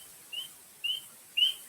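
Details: Spring peeper, a tiny frog said to be one of the first animals to wake from winter sleep, giving three short, high, slightly rising peeps about half a second apart over faint background hiss.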